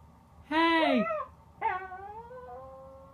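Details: Corgi from a compilation of home pet clips, giving two drawn-out harmonic whining cries, the first rising then sliding downward, the second starting high and easing into a long, level, fading tone.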